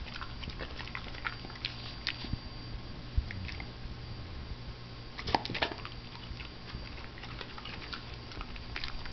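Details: Female pet dog eating broccoli: rapid, crisp crunching and chewing clicks scattered through a steady background hum, with a denser burst of biting near the middle.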